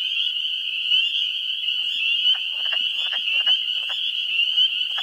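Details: Spring peepers calling in a New Hampshire swamp, first week of April, their high peeps forming a continuous shrill chorus. Wood frogs add short, rattling, duck-like clucks about once a second.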